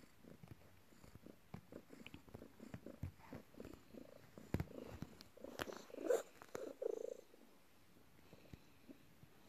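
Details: Morning, a pet cat, kneading its owner after work; soft low purring, quieter and less regular, swelling louder around the middle, mixed with scattered clicks, taps and fabric rustle.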